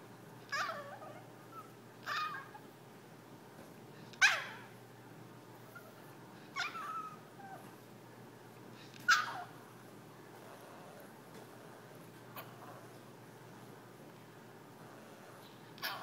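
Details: Pet Yorkshire terrier indoors, begging its owners to play, gives short sharp high yips at uneven intervals, six over about sixteen seconds, in an otherwise quiet room.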